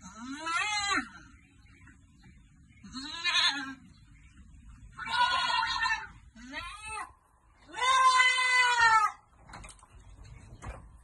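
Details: Five drawn-out, quavering goat bleats come every two seconds or so, rising and harsh, the last the loudest and longest, from farm goats being given vitamins, with soft background rustle between calls.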